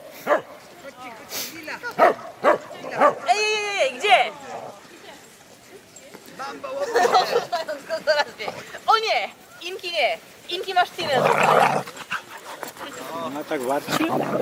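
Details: During an autumn 2014 corgi walk near Poznań, Poland, in Lusowo, a female Cardigan Welsh Corgi gives sharp barks and high yips between bursts of human talking.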